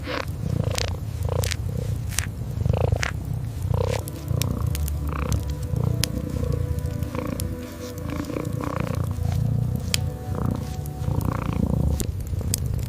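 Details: Sleeping kitten by the fireplace purrs in a deep, throbbing rumble with regular swells like slow breaths, and bright pops and crackles from the hearth break in now and then.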